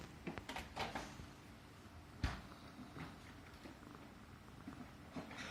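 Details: Affectionate Himalayan Persian house cat purring as it is stroked on the neck, content and at ease; a soft continuous low purr under scattered clicks, knocks and one sharp thump midway.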